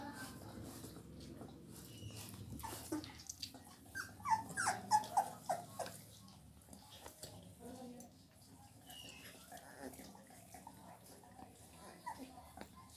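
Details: Heavy-boned Labrador Retriever puppies whimper and yelp in a quick burst of high, wavering cries near the middle, then fall quiet. Low voices and handling noises run underneath throughout.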